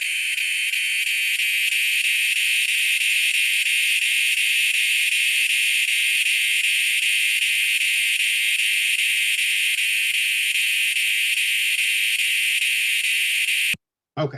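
A northern dusk-singing cicada gives a loud, steady buzzing drone with a fine pulsing texture.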